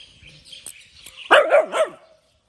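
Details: Puppy barking early in the morning: after a quiet stretch with faint bird chirps, one short burst of high, yappy barks with a wavering, bouncing pitch, three quick pulses, then silence.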